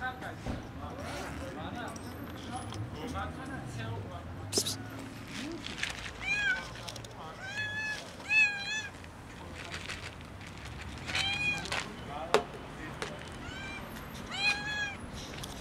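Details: Skinny, hungry kitten meowing loudly outdoors from hunger; a series of high, arching harmonic meows repeated every one to two seconds, with sharp clicks and taps, low rumbling background noise and occasional faint voices.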